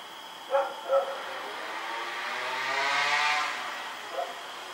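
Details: On the night of October 7, 2018, Rex the dog barks twice in quick succession while running around, a passing vehicle rumbles and hisses, then one more distant bark follows.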